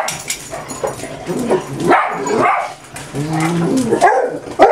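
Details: Six household dogs, Esther, Becky, Doxie, Sandy, Pudge and Buddy, on an ordinary morning at home. Short yips and sharp barks come in uneven bursts, about two a second, mixed with brief whining tones.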